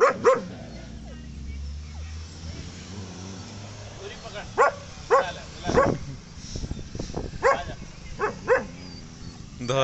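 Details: German Shepherd described as aggressive, giving a run of sharp barks with pauses between them, loudest from the middle to the end; low rumbling background noise and some human speech.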